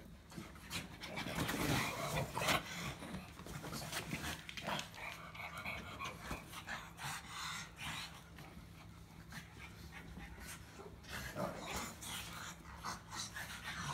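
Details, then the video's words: A pug grumbling: breathy, snorting bursts of noise come in uneven runs, roughly three a second at times, with louder rasping puffs early on, over a faint steady low hum. "Pug Grumble"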